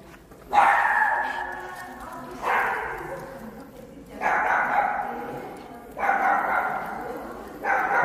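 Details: Shih Tzu barking insistently indoors, five harsh, ringing barks spaced roughly every one and a half to two seconds, each fading slowly, with light household background.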